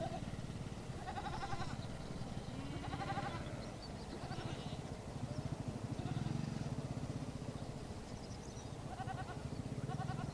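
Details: Goats in a nomadic herd with sheep on the steppe at Bayandelger, Tuv province, Mongolia; short wavering bleats come in bursts near the start, middle and end, over a steady low rumble of wind.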